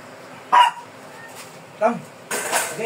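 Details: Two short, isolated barks spaced over a second apart come from a fierce Shih Tzu during grooming, followed by a burst of broadband rustling noise.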